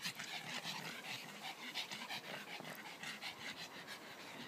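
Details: Playing together in the garden, the dogs Leah, Sonny and Taffy give fast, breathy, evenly paced panting that fills the whole stretch with little else heard.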